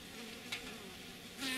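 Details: Honey bees drinking from a water dish at the hive, Lafayette County, Mississippi, 15 February 2020: a low, steady hum that wavers slightly as they hover close by.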